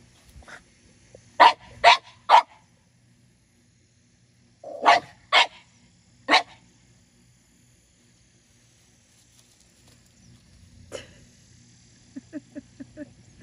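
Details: French Bulldogs at play under a grape pergola during morning garden watering: one-year-old Minnie Rose pesters ten-year-old Sami. Sharp barks come in two bursts of three near-evenly spaced yips, followed by faint scattered sounds and a short string of soft low notes.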